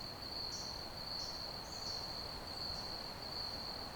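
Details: Cricket chirping with a sustained high trill, joined by three or four brief, higher rising chirps early on, all over a noticeable broadband hiss.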